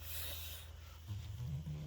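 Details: Oinky, a male French Bulldog, rolled over for belly rubs indoors and makes his happy noise: a low, rumbling grunt that rises slightly in pitch over the second half, with a faint hush of room noise.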